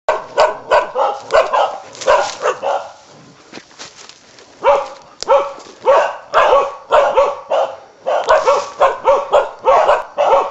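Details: Karelian bear dog barking during a wild boar hunt in Italy: loud, rapid sharp barks in bursts, nearly two per second, with a short lull in the middle, some barks doubled, echoing outdoors.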